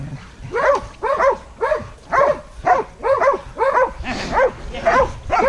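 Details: Hunting dogs facing a wild boar; a dog gives loud, evenly spaced barks near two per second, each bark rising and dropping sharply, with a rougher, noisier bark near the end.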